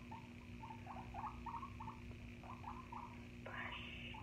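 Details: Guinea pig indoors giving a run of short, squeaky chirps in quick succession, pausing briefly, then a longer rising squeal near the end, over a steady low hum.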